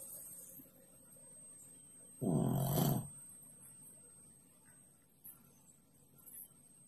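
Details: Sleeping under the stove, the cat Pak Pak gives a single harsh, rumbling snore of under a second, deep and grainy, rising out of a quiet room with a low background hum.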